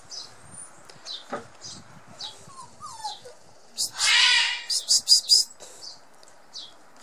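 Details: Border Collie puppies, 57 days old, from the litter of Sweet and Indi, give soft high whines followed by a sudden loud squealing yelp and several short sharp cries, with a person speaking Spanish in the background.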